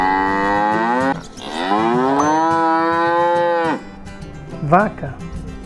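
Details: Farm cow, described as a docile animal kept for milk and meat, gives a long low moo that climbs and then holds steady, followed by a brief second lowing, over background music.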